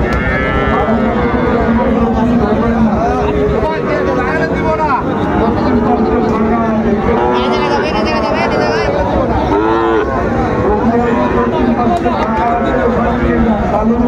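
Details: Cattle at a livestock market where bulls are sold to farmers from Comilla, Bangladesh, 5 September 2024; drawn-out low moos rise over a steady crowd of bargaining voices and background vehicle noise.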